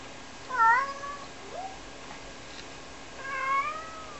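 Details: Rara, a two-year-old Ragdoll cat, calls on purpose indoors when she can no longer see her owner, who is only doing laundry in a small home; two clear harmonic meows, one near the start and a longer one near the end.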